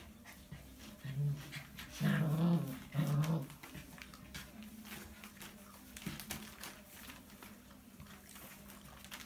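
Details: Alaskan Malamute puppies playing with their mother in a whelping box, giving a few short low whimpering and grumbling sounds around two to three seconds in, over a steady low hum.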